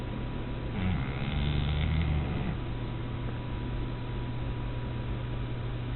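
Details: Sleeping pug snoring in an office through the day: one drawn-out, low, nasal rumbling snore lasting about two seconds, its pitch sinking as it fades, over a steady low indoor hum.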